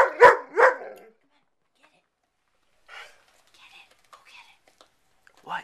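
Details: A frustrated pet dog barks at a calm, unfazed companion dog indoors, wanting the bone it has. Two sharp, loud barks come in quick succession, then faint scattered noises and a short final yelp.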